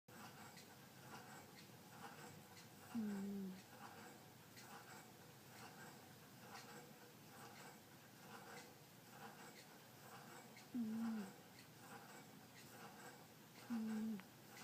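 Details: Butterfly, a sleeping domestic cat, snores in a quiet small room: three short, low, tonal whistling breaths that slide slightly downward, spaced several seconds apart, with faint room hiss between them.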